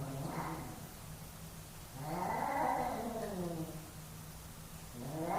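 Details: Pair of male cats in a dominance fight, giving faint, long, quavering yowls that bend up and down in pitch over a low background hum.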